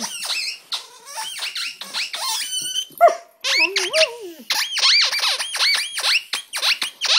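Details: Siberian Husky singing on 17 January 2011: a fast series of sharp, rising yips and whiny arcs, with a brief lower drawn-out howl that slides downward midway, then more quick yelping notes.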